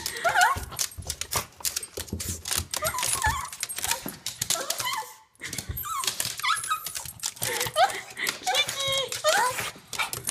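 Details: Gigi, a pet Japanese Chin, greets its owner after months apart with rapid excited whines and squeaky yelps in bursts, a brief pause midway, over a person's voice and shuffling sounds in a small room.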